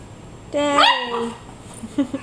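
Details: Rat terrier chihuahua mix, 11 months old, playing on a couch with a young rat terrier female indoors; one drawn-out yelping whine that starts steady, leaps upward and slides down, followed by a few faint short yips.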